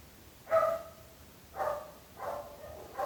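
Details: A neighbour's dog barks three times over three seconds, each bark loud, harmonic and slightly drawn out, the first strongest, with quiet background hum between.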